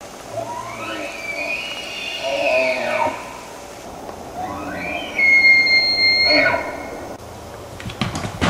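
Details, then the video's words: Bull elk bugling in 2006, two long calls: each climbs into a high, clear whistle, holds, then slides back down, the second louder and sharper, with a brief pause between and faint background hiss. "More Big Bull bugles from 2006"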